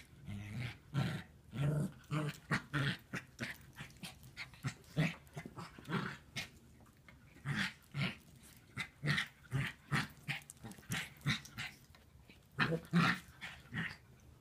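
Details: Playing puppy producing a long run of short, gruff growling bursts, each low and grainy, coming in quick irregular pulses with occasional short pauses over about fourteen seconds.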